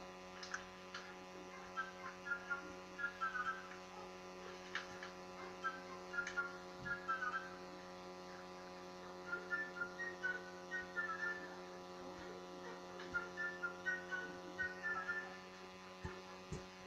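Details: Pet meerkat named Timka, calling indoors: bursts of short high chirping, clustered notes, repeated in groups every few seconds over a steady electrical hum.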